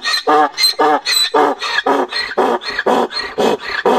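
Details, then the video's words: Braying of a male donkey while the herd is in heat: strong, regular see-sawing bursts, each rich in harmonics, alternating higher wheezy and lower rasping tones about twice a second, with no other clear sounds. "Burros en celo. Mascando como una burra caliente y el macho rebuznando."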